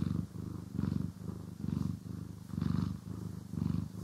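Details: Domestic cat purring steadily while being groomed and brushed, recorded in stereo; a deep, rumbling purr pulsing in and out with each breath, about five breathing cycles, with soft brushing hiss above.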